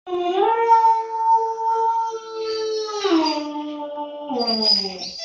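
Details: A 2-month-old long-coat German Shepherd puppy howls in long, high, wavering notes that slide downward at the ends.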